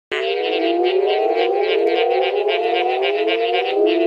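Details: A Mexican burrowing toad, which inflates its throat to its body's width, calls with a single drawn-out, low, rich, slightly buzzy moan that holds steady for several seconds, rising a little in pitch.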